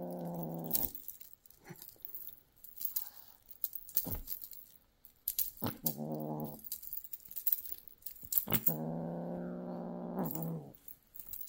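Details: Young golden British Shorthair kitten showing predatory instincts indoors, growling in three drawn-out, throaty, harmonic bursts: at the opening, briefly near six seconds, and a longer two-second rumble near the end, separated by soft rustling and knocks.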